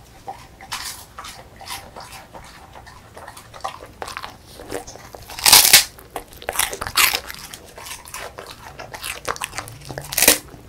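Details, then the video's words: A female beagle munches crispy puffed rice; soft chewing opens, followed by loud brittle crunches roughly every second in the second half, with a final sharp bite near the end. "비글 강아지 먹방 : 바삭 쌀 뻥튀기 ( Beagle / Real Sound / Eating Sound / Eating Show / Mukbang / Dog ASMR )"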